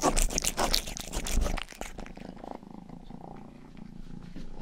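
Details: Indoors, pet cat Rangi gives two seconds of loud, rapid licking against an ear microphone, then settles into a gentle, low, pulsing purr.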